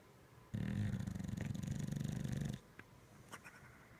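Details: A Bulldog in deep sleep snores: one long, low, rattling snore lasting about two seconds, with faint rustles afterwards.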